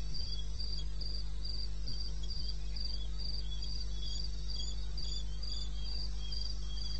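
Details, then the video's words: Cricket calling at 2:30 a.m. in the wilderness of eastern Botswana, recorded on 21 May 2016; short high chirps pulse steadily about three times a second, a second fainter caller interleaving, over a constant low hum. "1 Hour cricket sound-Africa-No loop-Real recording. Not edited."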